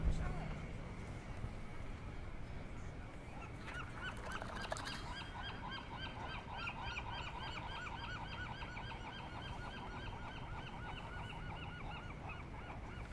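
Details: California sea lion sunbathing and barking: a long run of rapid, honking, harmonic barks starts after a few seconds and continues steadily, over a constant low rush of surf or wind.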